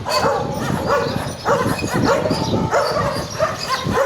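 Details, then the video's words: Stray garbage dogs barking: short, harsh, overlapping barks in quick bursts, several voices at once, with a loud run near the start and more bunched barks around two and three and a half seconds. "The sound of barking garbage dogs"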